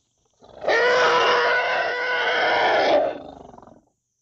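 A young African elephant gives a loud, brassy, trumpet-like squeal held steadily for over two seconds.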